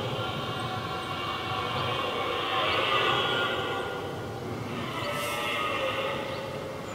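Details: Red deer stag during the rut, one of two rivals trading challenges before fighting: a rough, moaning roar rising and falling over several seconds, followed by a second, shorter bellow.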